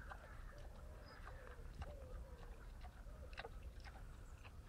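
Wild boar can be heard eating: sharp, irregular crunches and smacks of chewing come through a heavy low-pitched rumble. Soft grunting tones drift underneath now and then.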